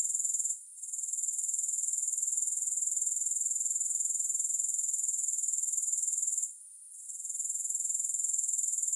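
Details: Grasshoppers recorded without music for relaxation and sleep: a steady, high, buzzy chirring pulsing about four times a second, dropping out briefly twice, near the start and again around six seconds in.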